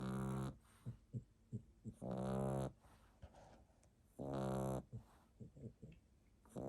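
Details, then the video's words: A sleeping French Bulldog puppy snores lightly in deep, rattling bursts, with soft snuffling breaths between them, recorded 1 May 2021. "Snoring French bulldog puppy"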